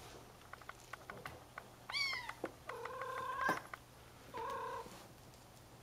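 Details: Bengal kittens exploring their playpen; a falling high meow, then a series of short, level, nasal mews, with soft clicks and a faint steady hum underneath.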